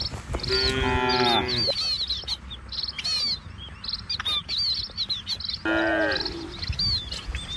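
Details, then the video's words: Cattle herded along a rural village road through green trees and rice fields give two moos, one long and one shorter, separated by several seconds of busy, high twittering birdsong. "Suara Sapi Moou Sepanjang Jalan Desa"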